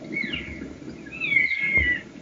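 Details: Elk cow mew from a group of elk moving at evening from trees across an open area toward a water hole in Arizona; high, thin, whistled tones, a short one and then a longer drawn-out whine, over low rumbling background noise.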